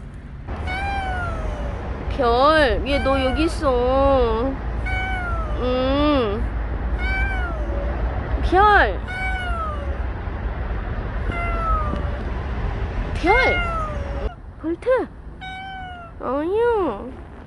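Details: Bolt, a stray cat that stayed near people for a year and five months, in its final recording: a long series of arching, wavering meows, some short and some drawn out, with low background rumble and voices.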